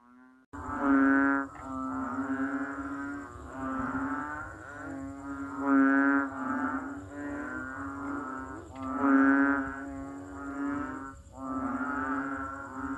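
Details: Banded bullfrog giving loud, continuous, low droning calls that swell and fade in pulses every couple of seconds, deep and nasal with strong overtones.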